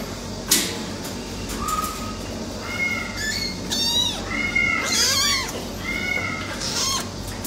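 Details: Silver tabby American Shorthair kittens, brothers, mewing in short, thin, high cries, several overlapping in quick succession, mixed with clicks and handling noises.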